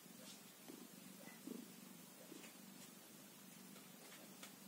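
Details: One-day-old kitten purring: a soft, steady low rumble with faint pulsing that runs the whole time, lifted by a brief, slightly louder swell near the middle.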